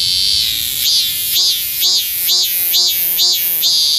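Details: Loud courtship song of a cicada, called maemi in Korea, in a Sejong University garden in South Korea to attract females: a continuous shrill buzz with repeated arched, swelling pulses roughly twice a second.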